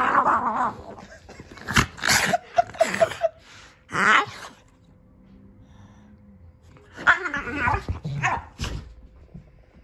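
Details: A Boston Terrier wrestles wildly and playfully with his Keeshond brother. Gruff growls and short yelping barks come in bursts, then a quiet stretch with a faint low whine, before another flurry of snarly play noises.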